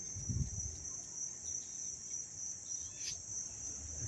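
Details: Dense cricket chirping heard up close in Dobbs Ferry, New York, August 19, 2025: a bright, steady high trill fills the whole stretch, with a low thump near the start and one brief clack.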